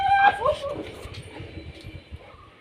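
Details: A two-year-old female American bully named Maggie gives a brief, high whine that rises then falls within the first half-second, followed by quiet room tone with faint low thumps.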